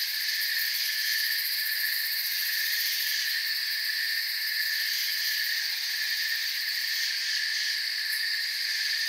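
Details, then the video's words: Forest ambience dominated by crickets: a continuous shrill chirping drone, layered in bright, even tiers. It holds at a constant loudness throughout, with no pauses and no other clear animals or noises. "Forest Sounds and Crickets"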